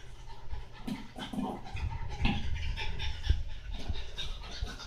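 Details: French Bulldog named Monaka panting while playing with a bowl indoors: quick, rough, breathy puffs about two or three per second, with occasional clinks and knocks from the bowl mixed in.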